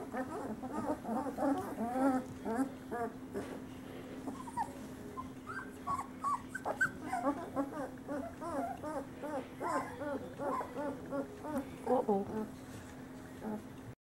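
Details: Male Great Pyrenees puppies from a summer 2013 litter out of Bella and Ranger whimper and squeal almost continuously, many overlapping short high whines in quick succession, with a constant low electrical hum underneath.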